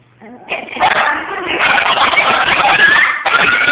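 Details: A group of Chihuahuas, part of eight dogs at home on a Saturday afternoon, joins in a howling session. A brief yelp gives way to a sustained, dense chorus of overlapping wavering howls that keeps building in loudness.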